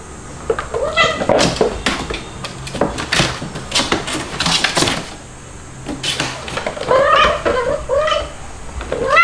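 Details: Domestic kittens playing indoors, white dalmatian-spotted kitten Stuart and black kitten Lunar with their mother cats; several short high mewing cries, some rising then falling, between bursts of clattering knocks and scuffling.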